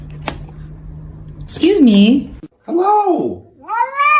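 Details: Kitten meowing indoors: three drawn-out meows, each rising then falling in pitch, the last one climbing upward, with a sharp click near the start and a low hum beneath.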